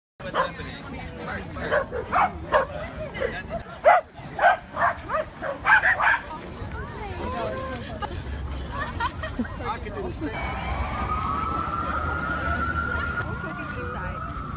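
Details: White corgi barking: a series of short, sharp barks in the first six seconds, roughly one every half second, with people talking, then a steady whining tone and background noise.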